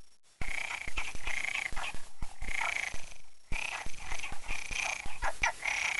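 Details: Numerous frogs calling together in a stream, a dense chorus of overlapping croaking bursts in a mid-pitched band, pulsing in repeated waves, broken by a short lull midway, with sharp clicking knocks scattered throughout.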